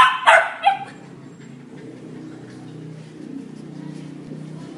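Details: A 2.5-month-old Labrador Retriever puppy, back in his cage after a sit-training session, gives three sharp, high yips, then settles into a low, steady murmur.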